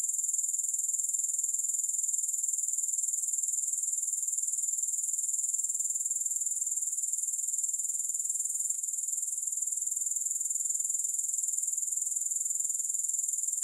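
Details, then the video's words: Continuous shrill grasshopper chorus, a thin high buzzing with fast, even pulsing that holds unbroken throughout, with no music and no other animals. "Grass Hopper Sounds"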